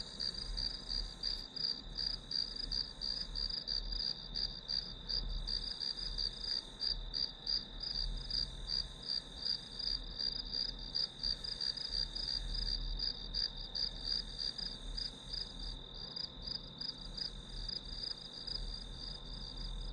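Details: Grass insects as ambient study noise: a long run of high, evenly pulsed chirping, close to three pulses a second, layered over a steady piercing tone and gentle low-frequency rumble.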